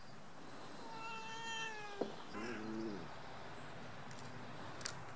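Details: A male Alaskan Malamute puppy on his fourth day at a new home, playing with Tibetan Mastiffs, gives a thin, steady whine, then a lower, wavering yowl. Alaskan Malamute.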